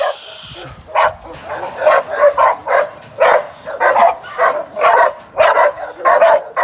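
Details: Young working American Staffordshire Terrier, a sporting dog in training for shows and sporting events, giving a steady run of short, harsh barks at roughly two per second, with brief pauses between bursts.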